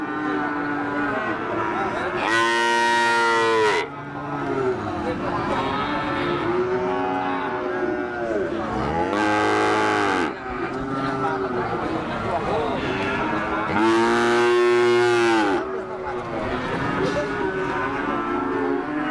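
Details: Cattle, including a calf of a Limousin and Peranakan Ongole (Pegon) cross, recorded 18 May 2018 during Ramadan; three loud, drawn-out moos about every six seconds, with overlapping lowing from other cattle and background chatter.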